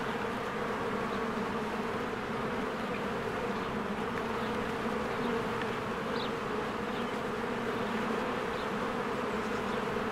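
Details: A busy spring beehive, swarms of honeybees flying to and from the hive. Steady loud buzzing throughout, rich humming tones, with occasional faint high bird chirps in the background.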